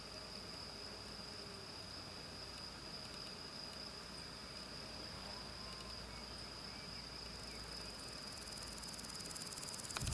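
A grasshopper sings a steady, high, unbroken buzz over soft outdoor hiss.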